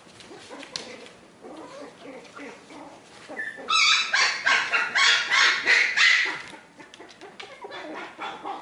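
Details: Litter of Australian Terrier puppies at four weeks of age during socialization, breaking into a loud, shrill chorus of overlapping yelps and squeals for about three seconds, framed by quieter whimpers and shuffling before and after.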